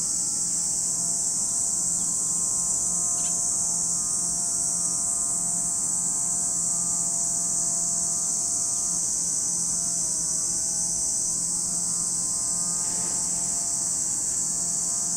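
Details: Cicadas calling at Lake Kamo, Sado City, Niigata Prefecture, Japan: a continuous, even shrill buzz with no pauses. A faint low mechanical hum persists in the background.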